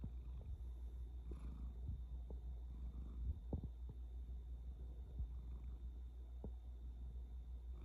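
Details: Low, even snoring rumble from a dozing blue point bicolor Ragdoll kitten, continuous and quiet, broken only by scattered small taps and a brief rustle early on.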